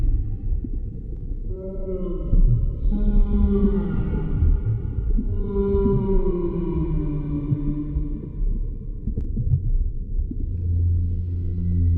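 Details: Humpback whale song heard underwater, a sequence of long, smooth harmonic wails that rise and then slide down, repeated in overlapping phrases, ending in lower droning tones above a constant deep rumble.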